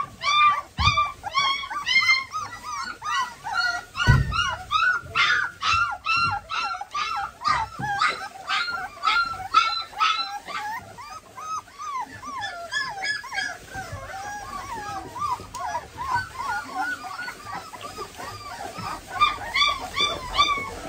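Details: German Pointer puppies, excited while their nails are trimmed, whimper and yelp continuously: quick, arched whines repeated about twice a second, with occasional thumps and handling noise.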